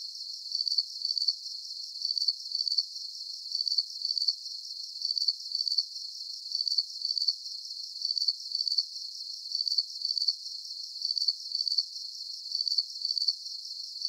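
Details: Steady cricket chirping for relaxation: bright, high-pitched trilled chirps grouped in twos, returning roughly once a second with very even timing, over a soft hiss of more distant insects and nothing in the low range.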